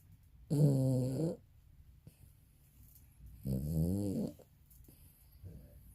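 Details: A 22-year-old Maltese, aged and asleep, snores like a human: two deep, buzzing, harmonic snores about three seconds apart, each lasting nearly a second, with a fainter breath at the end and quiet indoor background.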